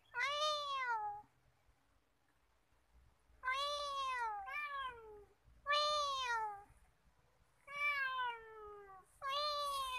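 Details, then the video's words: Free-roaming, talkative male cat at Nigeen Lake in Srinagar, Kashmir, meowing in long, rich, descending calls, some doubled, separated by pauses of one to two seconds. "Cute talking cat"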